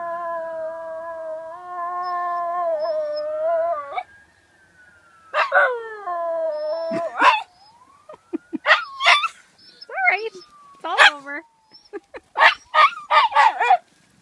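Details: A Miniature Schnauzer mimics a fire truck siren, holding a wobbling sustained howl for four seconds, then breaking into bursts of yips and howls while a distant siren sweeps faintly up and down in the background.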